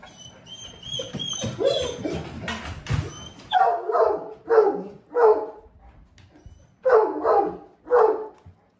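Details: Great Pyrenees named Blanche, usually quiet and rarely playful, barking to ask to play; after a few seconds of mixed sounds with high tonal tones, five loud rounded barks come roughly every second with short gaps.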